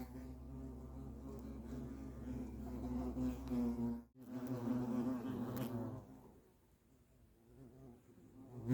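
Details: European hornets at their nest give a deep, continuous droning buzz with a rich stack of overtones, loud for four seconds, briefly cut off, then resuming before fading out over the last few seconds.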